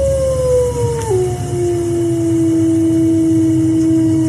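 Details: A wolf gives a long, steady howl that drops in pitch early, then holds a low tone; its duration resembles a supposed Bigfoot howl, but it lacks that recording's rising and falling character.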